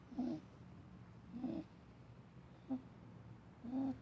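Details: Dougal, a male house rabbit described as healthy and not in pain, makes rough low snores: four brief raspy bursts spaced roughly a second apart, one shorter and clickier, with faint background hiss.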